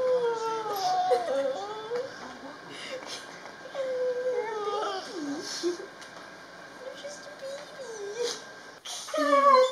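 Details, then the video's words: Solo, a pet Border Collie, cries on seeing a family member who visits about once a week; drawn-out whines rise and fall in wavering, sobbing pitch, with a sharp louder yelp near the end and faint background noise. "Border Collie Cries Whenever She Visits"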